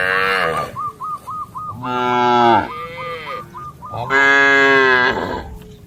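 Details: Dozens of cattle jump over a path border amid green rice fields while moving with their herd; two long, deep, harmonic moos ring out, with a run of quick, repeated high chirps between them.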